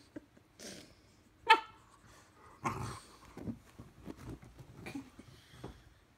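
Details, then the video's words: Two-year-old female French bulldog squabbling with her four-month-old English bulldog puppy brother: soft scattered grunts, a sharp yelp and low rumbling growls come in short uneven bursts, fairly quiet overall. "Frenchie and English Bulldog puppy bickering"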